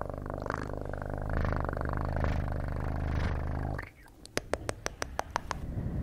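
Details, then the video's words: Pet cat purring loudly and steadily for nearly four seconds, then the rumble stops and a quick series of crisp clicking taps follows in a quiet room. "Best PURRING sounds"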